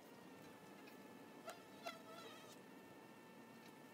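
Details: Honey bees at the entrance of their hive box: a steady, layered buzzing hum, with two brief louder whines as individual bees fly close past.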